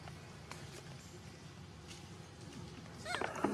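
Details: Vixen, a monkey living wild around Angkor Wat, cries angrily. After a quiet stretch of low rumble and soft clicks and rustles, a short, harsh, loud cry with stacked harmonics bursts out in the final half-second.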